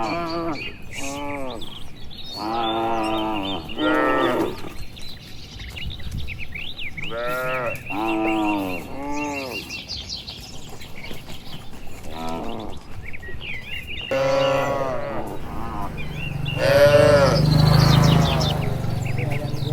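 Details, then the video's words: Herd of dozens of cattle heading home to the shed along a green village road in the warm late afternoon; many short, arched moos overlap and answer one another, with chirping birds and a low rumble near the end. "Suara Sapi Moo"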